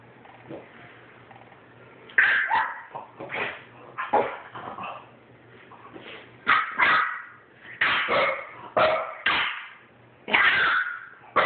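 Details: Two French Bulldogs, one a 9-week-old puppy, having a disagreement: bursts of sharp yips and short barks mixed with rough growling, coming in clusters every second or so after a quiet start, with soft whimpers between.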